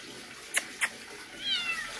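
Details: A cat gives a faint, thin, high-pitched meow near the end, sliding gently downward, after two sharp clicks; quiet room hiss throughout.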